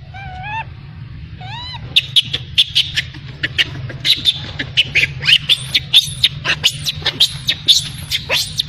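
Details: Baby macaque abandoned by its mother, crying: two short rising, tonal wails with bright harmonics, followed by a dense run of sharp clicks and crackling noises.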